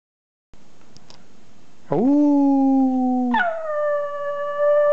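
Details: Small pet dog howling with its owner in a playful back-and-forth: after a short silence, a long steady howl sweeps up and holds, then jumps abruptly to a higher sustained pitch, rich in harmonics, with faint room noise.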